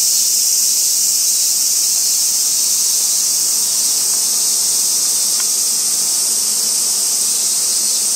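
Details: Robust cicada song in late August, Japan, with other cicadas around. An intense, sustained high hiss fills the clip, faintly pulsing about four times a second, with a couple of brief clicks midway.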